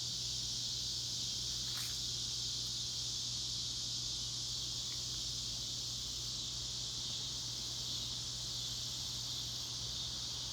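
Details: A dense cicada chorus in the Northwest Arkansas Ozarks makes a loud, steady, high, hissing drone that never lets up.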